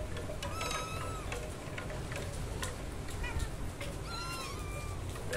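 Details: Kittens meowing loudly: a drawn-out high mew early on, a short chirp-like call midway, then a longer rising-and-falling mew near the end, all over a constant broadband hiss.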